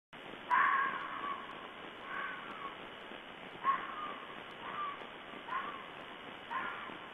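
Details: A red fox, recorded on 16 February 2012, gives a series of hoarse, falling calls, spaced about a second or so apart.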